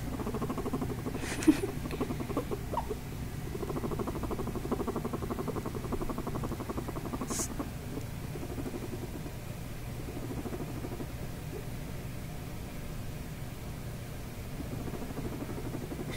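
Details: A female guinea pig, about two years old, purrs while being petted, a low, rapid, vibrating rumble that runs on almost without a break and signals she is happy, with a few faint handling noises.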